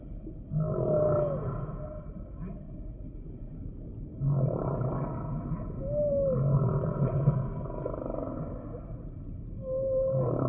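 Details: Humpback whale song sample: low moaning tones with a sliding whistle-like upsweep, phrases returning about every four seconds over a steady underwater rumble.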